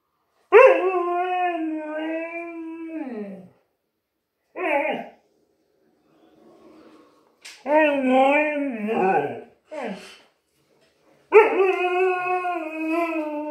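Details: Husky indoors in a small room, upset by a new vacuum cleaner, giving long harmonic howls that slide downward, broken by short yelps and a wavering cry, with a quiet spoken voice between calls.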